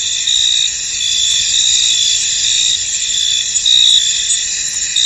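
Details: A chorus of crickets chirps in a fog-covered field. The shrill, continuous trilling holds steady, with gentle swells in loudness and a few faint ticks, and nothing else stands out.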